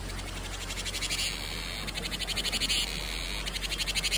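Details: Cicada singing as it heralds summer: a high, buzzy pulsed trill that fades in after about a second, with rapid ticking pulses swelling and breaking into short bursts over a steady low hum.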